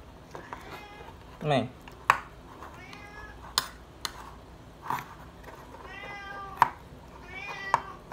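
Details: Srintil, a house cat, keeps meowing for food in a small room; several strained, wavering meows mix with a person's voice and sharp clicks.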